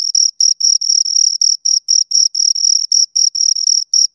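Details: Pair of crickets giving shrill, steady chirps in short pulsed bursts roughly four times a second, gaps irregular, high thin tone with a faint overtone; nothing else audible.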